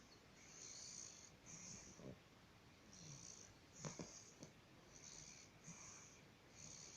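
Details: Bulldog snoring: raspy, breathy snore bursts repeat about once a second, each with a hissy upper edge and a soft low rumble, with a few sharper snorts in the middle of the recording.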